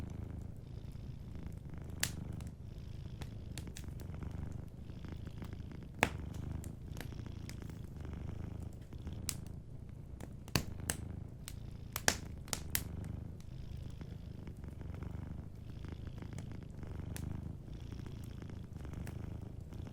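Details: Sleeping cat by a cozy fireplace, purring in a soft, rhythmic low rumble that pulses with its breathing, accompanied by occasional crackling and popping of the fire.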